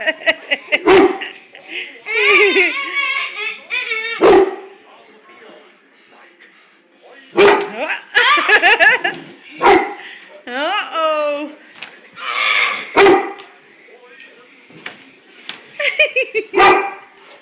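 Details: Frightened by his mirror image, a big brown dog barks in loud, abrupt bursts scattered irregularly through the stretch, mixed with whiny vocal sounds and a person talking and exclaiming throughout.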